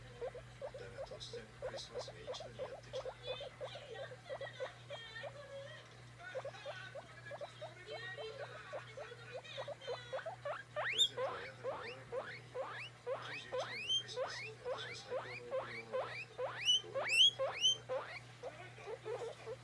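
A guinea pig wheeks in a quick series of rising squeals, asking to be petted.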